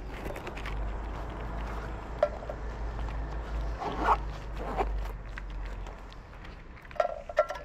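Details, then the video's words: Stray cats in Morocco greeting the person who feeds them with gentle meows: short, tonal mews at about two, four and seven seconds, the last few in quick succession, over footsteps and a low wind-like rumble. "The cats miss me,filling my heart with the joy of their gentle meows,as if they're saying:We missed"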